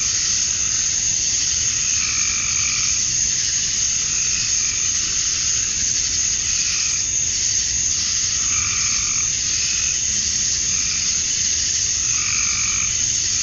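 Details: At dusk on a summer evening in Georgia, USA, male cicadas fill the air with a continuous, hissing high buzz meant to attract females; short, lower-pitched calls break in every few seconds.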